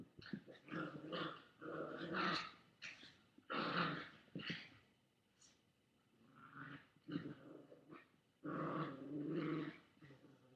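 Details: Chihuahua, recorded indoors by webcam on August 13, 2011, growling at a boy with a toy; a series of choppy, rising and falling growls in short bursts, with a quieter lull mid-way before a longer snarl.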